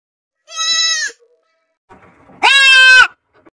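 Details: Baby goats bleating: two loud, drawn-out, nasal bleats, each about half a second long with a steady rich tone, the second slightly harsher and wavering, separated by a quiet pause.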